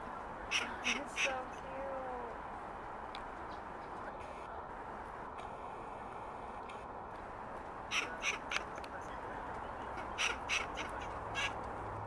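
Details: Grey squirrel vocalizing: short harsh broadband bursts in quick rhythmic runs near the start, then again from about eight seconds on, over a steady low background hiss.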